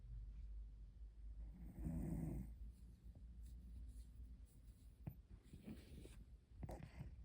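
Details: A napping white cat snoring indoors: one loud, breathy, rumbling snore swells near the two-second mark, followed by quieter low breathing and a few faint clicks.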